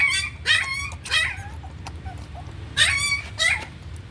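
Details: Puppy raised on milk powder and growing slowly gives loud, high, harmonic whines in four bursts, two near the start and two after a pause, each sliding and wavering, over a low background rumble.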